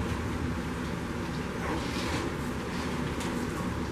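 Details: Steady broadband rumble like a running engine or strong wind fills the whole stretch, with no animal voice.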